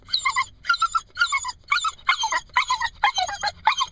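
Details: Anxious Jack Russell Terrier/Corgi cross dog left behind in a car, giving rapid bursts of high-pitched whimpers and yips, about two every second, urgent and uneven.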